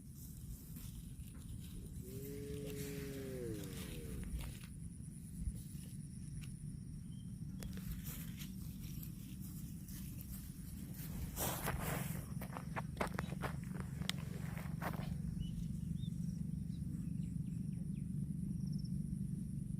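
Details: Grass-eating cattle: a single moo early on, steady then sliding downward over two seconds, followed by long rustling, crunching and scattered clicks as the animals feed outdoors.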